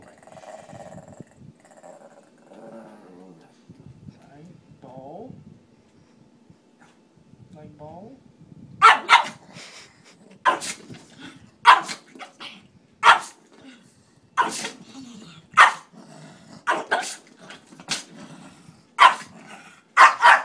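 A Pekingese gives sharp, high barks, repeated about once a second, after some quiet talking and low grumbles.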